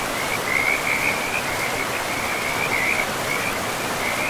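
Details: Frogs at a forest river, a quick rattling high trill pulsing in short runs almost without pause, heard above an even rushing sound of river water.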